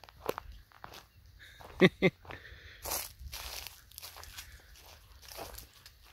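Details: Dogs at play, a Borzoi with a Golden Retriever and a Poodle: two short, sharp barks in quick succession partway through, set among footsteps, crunching ground and rustling movement.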